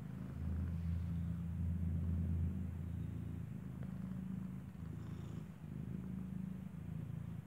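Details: Mother cat Kartopu nursing her kitten, whose eyes have not opened, inside a building; a rich, low vibrating purr rises and eases in rhythmic waves, with a faint brief high tone near the end.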